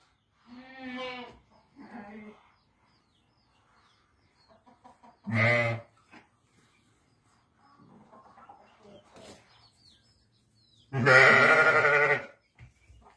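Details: Domestic sheep from a group of seven ewes and a ram west of Ramallah, Palestine: several wavering, harmonic bleats, short ones early, then a loud, drawn-out bleat near the end, with quiet gaps and faint background noises between.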